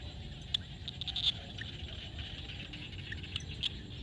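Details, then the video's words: At sunset in a Cambodian field, frogs give brief clicky calls, a few close together and others spaced apart, while a constant high droning hum and a low rumble fill the background. "SUNSET with Frog sound at the field"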